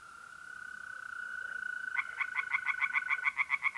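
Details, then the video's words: Tree frogs singing in a pond on a mid-April night in north-east Italy. A steady high trill from mole crickets runs alone at first, then a fast series of about twelve bright, regular pulses, roughly four per second, joins in. "relaxing singing tree frogs in pond"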